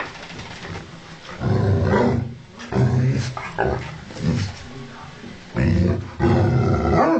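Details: Angry ovcharka mix dog growling at its owner, a low, rough, roaring growl rising and falling in long surges with brief gaps, recorded up close.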